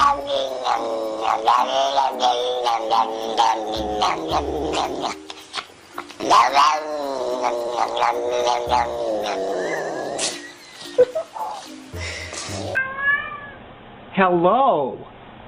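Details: Domestic cats making weird, speech-like noises in a funny compilation: long wavering yowls and drawn-out meow-like cries, rising and falling in pitch, broken by abrupt cuts, with a sharp rising squeal near the end and faint background music.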